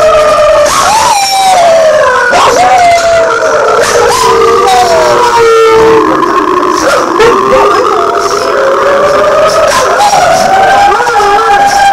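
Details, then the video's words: Two dogs, Kisko and Nanuk, howling in response to sirens: long overlapping wavering tones sliding slowly down and back up, layered with a higher harmonic voice, continuous throughout with a siren-like wail mixed in. "Kisko and Nanuk ( seen) Howling to Sirens"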